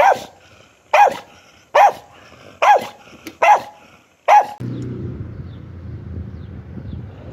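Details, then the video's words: Dog gives six sharp, evenly spaced barks, one about every 0.8 seconds, then stops; a low rumbling noise fills the rest of the recording. "DOGS BARKING"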